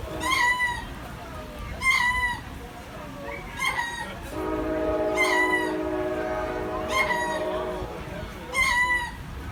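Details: Lemurs at the Jacksonville Zoo giving loud, wailing calls that rise and fall, repeated about every two seconds, with a steady droning chorus of overlapping tones through the middle section.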